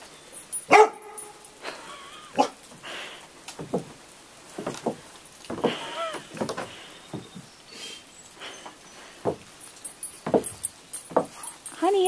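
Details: Roxy, a chocolate Labrador Retriever afraid of roofing materials left in the driveway, gives scattered short barks and whimpering whines while a woman keeps reassuring her in a soft voice.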